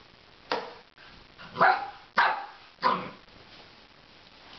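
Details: A puppy playing with a broom indoors gives four short, rough barks spaced about half a second to a second apart, with a quiet room in between.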